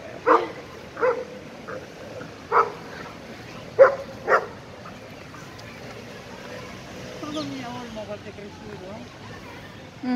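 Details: At a dog park, an 11-month-old Irish Wolfhound plays with its friend, an Italian Mastiff. Five loud, spaced barks sound in the first four seconds, then a person talks quietly and a faint whine follows.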